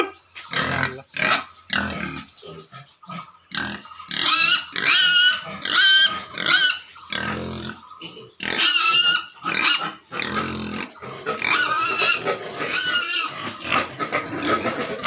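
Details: Many pigs at a piggery squealing and grunting in rapid irregular bursts, the calls harsh and shrill with rising overtones, growing denser and louder toward the middle and end.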